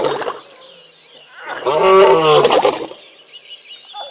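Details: A big male lion in a pride at a waterhole at Tembe, while sub-adults play, gives a single loud, rough, moaning roar lasting about a second.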